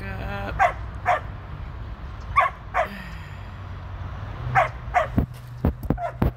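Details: Tir, a female Border Collie turning 13, during her first run with the sheep on 2/23/23. About six barks, spaced in pairs, over wind and a low hum, with some clattering knocks near the end.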